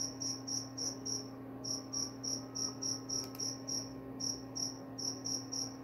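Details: Rapid, high-pitched cricket chirps in short bursts, broken by a few brief pauses, each pulse sharp and ringing, set against a continuous low hum.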